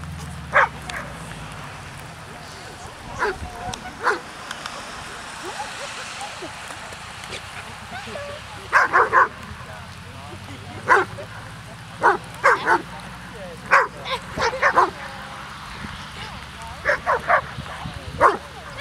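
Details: Hovawarts at a rainy-day gathering of twelve dogs and twenty-two people from the Vom Wildenstein breeding line. Short, sharp barks come in scattered bursts, thickest in the second half, over a steady murmur of human voices.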